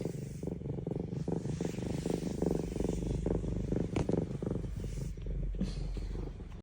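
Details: F2 Savannah cat, a tiny female described as happy, purring steadily with a continuous low rumbling texture throughout, pulsing roughly three times a second, with faint background noise and no other clear sounds.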